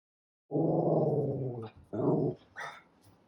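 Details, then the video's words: Tiny, a 13-year-old senior dog with a heart murmur, with hair standing up on 7/9/23, gives a long, low rumbling growl, pauses briefly, growls again more shortly, then makes a quick higher yelp-like sound. "[Loud Barking] Hair standing up moment"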